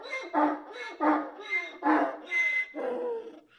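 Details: A donkey brays in a run of harsh, rasping pulses alternating between higher and lower tones, with a hiccup-like quality in its braying.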